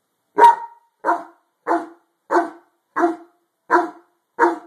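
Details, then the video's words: A harlequin Great Dane barks at something under a bed in a steady series of deep, full, gruff woofs, about one every 0.7 seconds. "Harlequin great dane barking at ghost."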